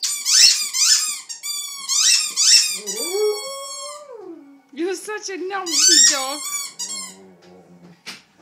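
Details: Dalmatian singing along with squeaky toys indoors: repeated bursts of toy squeaks mixed with wavering howls that slide down, then rise again, ending in low moaning notes.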